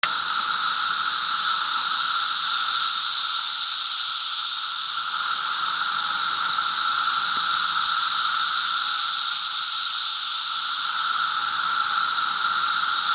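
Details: Periodical cicadas of Brood V calling during the 2016 emergence, May 31: a dense, unbroken high shrill hiss swells and eases slightly, with a steady lower droning tone running beneath it throughout.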